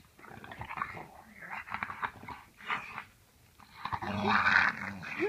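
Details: Dogs minded over the Thanksgiving holiday while their owner is out of town: low rough growling and short whimpering bursts, swelling near the end into a loud, harsh snarling outburst.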